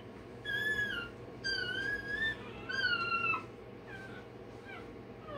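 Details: Day-old Rottweiler puppy having its tail and dewclaws done, giving three high, wavering cries, each about a second long and slightly falling, separated by short pauses, over a steady low indoor hum.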